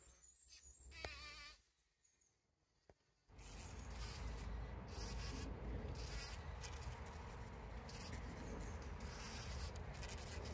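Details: Bees collecting pollen on 17 June 2023, trail camera: about three quiet seconds with a few faint chirps and a click, then a bee's dense low buzz starts abruptly and continues.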